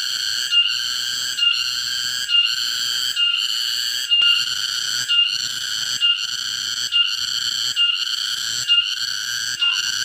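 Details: A cicada, caught in a garden, sings a loud, ringing tone broken into even phrases just under a second long.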